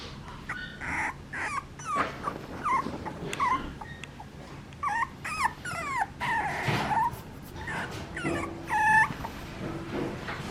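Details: A young Papillon dog gives irregular, plaintive whines and yelps, short squeaky notes swooping up and down in pitch, scattered through the recording with brief pauses and low room noise between.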